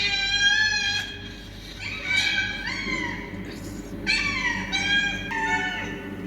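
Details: Fighting cats trade harsh, strained meowing yowls, several sliding downward in pitch, repeated in quick irregular bursts over a steady background hum.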